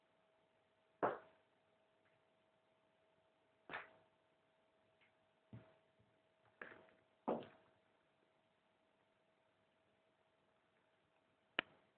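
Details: Scattered sharp knocks of a ball hitting surfaces indoors over a steady low electrical hum, with no voices between them.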